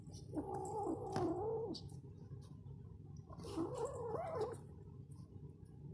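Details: Kurilian Bobtail kitten that has caught a mouse growls in two long, rough, wavering bursts, low and throaty with a rasping edge.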